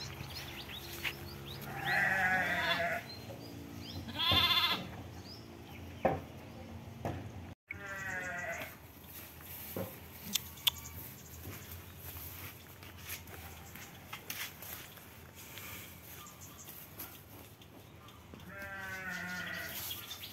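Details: Garut sheep lambs, triplets over two months old, bleat in short quavering bursts near the start, around four and a half seconds, and again near the end, amid clicks and knocks.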